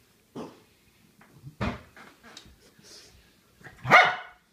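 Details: Itchy pet dog scratching on a couch indoors, giving a few short gruff barks and grunts spaced about a second apart, then a louder, rising, tonal yelp-bark at the end; the room is otherwise quiet.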